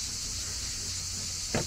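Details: A very loud chorus of cicadas at a Narbonne Plage campsite on a hot summer evening makes a dense, high, continuous buzzing hiss that never changes level, with a single sharp knock near the end.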